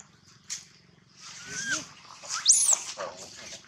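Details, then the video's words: Baby monkey crying loudly: thin rising-and-falling whines build after a quiet start, then peak in a shrill high squeal with a sharp upward sweep, followed by softer trailing cries. "Poor baby monkey Gino crying sound loudly a long time till Quiet"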